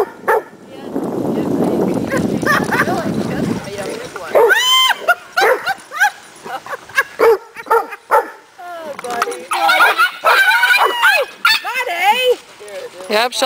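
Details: Posey, a dog at the dog park, angrily telling off Buddy because she did not want to play: after a stretch of rustling noise, high yelping barks and whines come in quick clusters, mixed with human voices.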